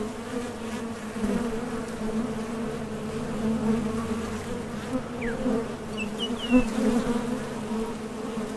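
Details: Steady hum of honey bees coming and going at a top bar hive entrance, foragers heading out for nectar; continuous layered drone that swells now and then, with a few faint distant bird chirps.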